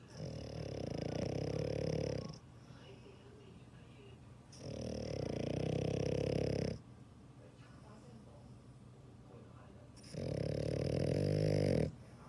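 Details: Sleeping dog snores in three long rasping breaths, each about two seconds of low fluttering vibration, separated by quiet pauses of two to three seconds.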